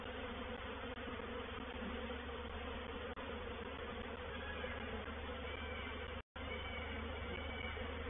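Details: Honey bee reproductive swarm entering a swarm trap at Painted Peacock Manor, 04/07/21: steady, thick buzzing drone throughout, briefly cut by a short dropout near the end, with faint higher whines of individual bees passing.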